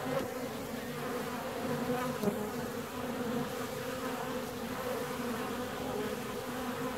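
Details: Inside a honey bee colony 17 days after splitting, a continuous buzzing hum of many bees holds an even, low pitch, with only slight swells in loudness.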